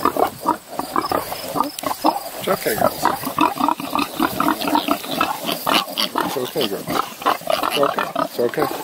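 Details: Sixteen newborn piglets a few days old with their protective mother near Kingston, Ontario, Canada: dense rapid squeals and grunts overlapping, a person speaking softly over the litter.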